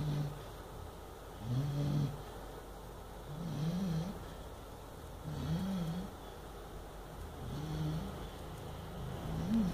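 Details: Eight-month-old Chow Chow puppy asleep and dreaming badly. Five rough, low snores follow a steady rhythm of about one every two seconds, each wobbling slightly in pitch against a quiet room.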